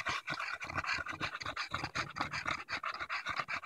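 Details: Daisy, a Bulldog on a walk in Erindale Park in July 2014, pants hard after tussling with a branch. Dense, fast, regular huffing breaths run steadily through the whole stretch with no other clear sound.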